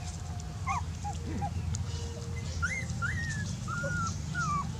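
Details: Dog whining in a run of high, thin whimpers, some rising and some sliding downward, spaced unevenly against constant low-pitched background rumble.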